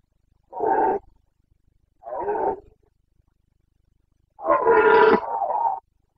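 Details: Carpathian red deer stag roaring during the breeding season in Bucovina, late September 2022: two short hoarse bellows about a second apart, then a longer, louder roar lasting over a second, with quiet forest in between.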